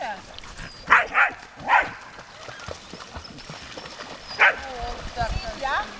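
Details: Dogs by the lake at Lida Nature Reserve on a summer day: four short, sharp barks, two in quick succession, a third soon after, then a lone bark a few seconds later over a quiet outdoor background.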